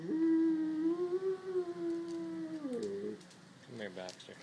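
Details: A Great Pyrenees gives a long, steady howl that rises, holds, then slides down, trying to imitate an ambulance or fire-engine siren with a voice too low to match, and is then soothed by its owner.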